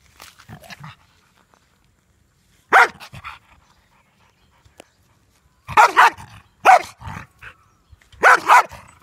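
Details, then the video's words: German Shepherd named Tyson, angry and guarding his ball so no one can take it; loud harsh barks come singly and in clusters of two or three, separated by silent gaps, with a soft snuffle near the start. "Angry german shepherd Tyson | Never allows to take the ball from him"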